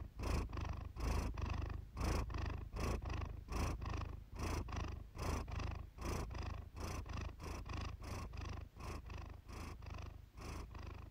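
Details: Iris, a pet cat, purring, recorded for a relaxing purr-therapy session: a steady deep rumble with breathy surges rising and falling roughly every second, each inhale and exhale marked by a brief louder pulse.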